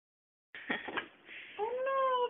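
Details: Male domestic cat, kept indoors and not feeling well, during a play session: a short noisy burst, then a drawn-out tonal meow that rises slightly and holds steady before ending, with faint background noise.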